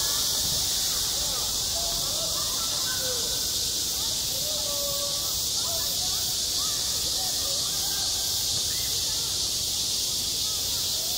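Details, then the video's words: Summer cicadas sing at a school playground in a continuous, searing high hiss with no pauses, while scattered soft tonal chirps and short slurred notes sit quietly beneath. "한 여름 운동장에서 매미가 울고 있다 - 여름의 소리, 학교 종소리, 매미 울음소리"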